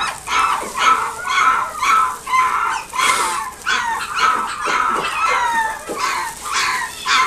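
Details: Pooky, a dog at the One Love pet shop in Nagoya city, gives high, tonal yaps in a steady run, roughly two per second, each bark short and bright with a slight downward bend, in an indoor setting.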